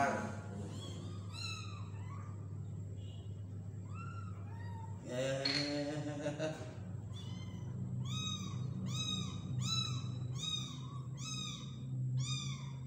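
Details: Small kitten being hand-fed, mewing insistently: a long run of high, arched meows, each rising then falling, coming in quick succession with short gaps. A brief burst of human speech breaks in midway, over a steady low background hum.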